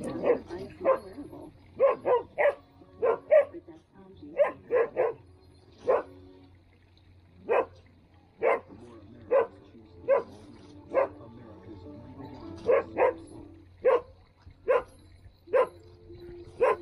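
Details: Standard poodles playing in the water on a hot day in Ketchum, Idaho: sharp, short barks in quick bursts of two or three, irregularly spaced, with a steady low hum beneath.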